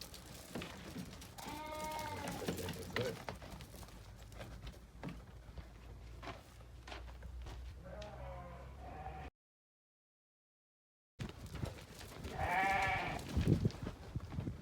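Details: Damani ewes from a group of eleven for sale, one bleating in quavering harmonic bursts near two seconds and again around twelve to thirteen seconds, with fainter bleats near eight seconds, background murmuring and a short silent gap.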